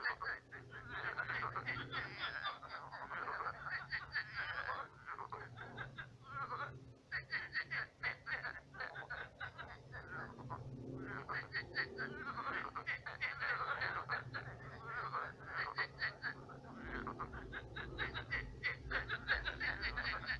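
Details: Frogs calling in a night chorus at a dried-out pond turned swamp; rapid clicking, rattly croaks pile up in bursts, thin in places, alongside a low steady hum.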